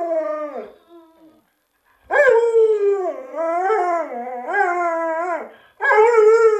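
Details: Pet Alaskan Malamute Luoluo howling in a string of wavering, yodel-like phrases, each swooping up and down in pitch, separated by short breaks, the last phrase strong and sustained, with no other sounds around.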